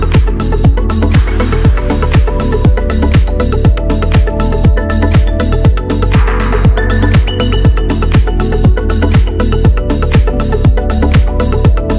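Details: Loud house-style electronic music with a steady four-on-the-floor kick drum and synth chords throughout.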